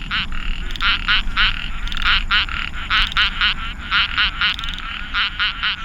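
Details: A night chorus at a frog pond in Pasir Ris Park, Singapore: three small chorus frog species give rapid, overlapping croaks, several calls every second; they call in large numbers after rain.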